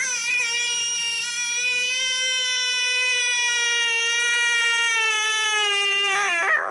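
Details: An American bullfrog gives its distress call, a long, steady, piercing scream like a crying baby, made when seized by a predator such as a water snake, possibly drawing others to create chaos so it escapes.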